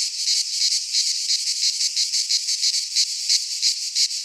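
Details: Midsummer chorus of cicadas in Greek pine forest, an unbroken shrill buzzing pulsed in quick regular beats roughly three per second, steady in loudness throughout.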